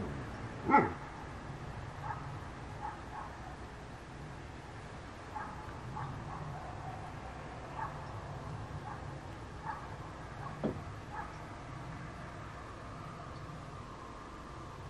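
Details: German Shepherds (Blondie, Blackie and Trench) on night watch in Slaughterville, Oklahoma, caught by a game and security camera: one sharp bark near the start, then scattered fainter, distant barks over a steady low background hiss.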